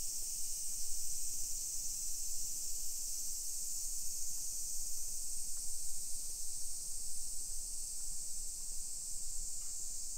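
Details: Cicadas in a modern suburban neighborhood of Nisshin, Aichi Prefecture, Japan, at 1 PM on 28 July 2021, during a walk. A constant high sizzling wash carries on for ten seconds, slightly softer, over low rumbling street sound.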